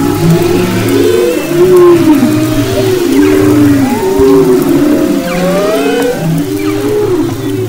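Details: Dense chorus of humpback whale song off west Maui in February 2011: sliding, arching moans, rising and falling whistled sweeps, low repeated groans and a background of underwater noise.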